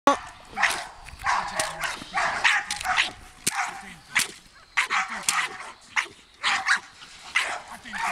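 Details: Eleven-month-old American Staffordshire Terrier in early Mondioring training, giving bursts of harsh, loud barks in quick succession, with human voices speaking between them.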